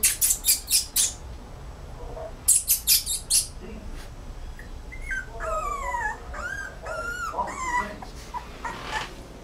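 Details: Rottweiler puppy whimpering: a few sharp broadband taps early on, then a run of high, thin whines that arch up and fall, several in quick succession over the last few seconds.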